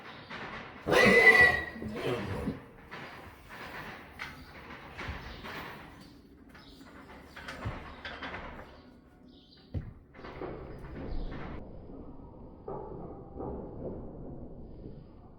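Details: Friesian mare and Dartmoor pony said to be in love; a loud harmonic whinny near the start, about a second long, followed by softer snorts, rustling and hoof clatter.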